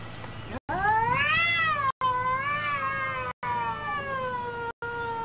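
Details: Domestic cat giving long, drawn-out meows with rich harmonics; each rises in pitch then slowly sags, wavering as it goes, heard in several back-to-back stretches separated by short silent cuts, over a low steady hum.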